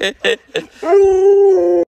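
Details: Luoluo, a pet Alaskan Malamute indoors, gives three short voiced yelps, then one steady, even-pitched howl lasting about a second, rich in overtones, which ends abruptly.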